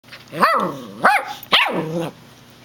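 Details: Golden retriever puppy barking while fighting its new squeaky shark toy indoors: three short, tonal, rising-then-falling yelping barks about half a second apart, the last one longer with a drawn-out sliding tail.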